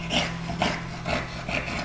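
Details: Two dogs playing together, Watson, an English bulldog about 1.5 years old, and his older brother Huey, a six-year-old Boston terrier; rough panting growls and snuffles come in bursts, with a steady low hum beneath.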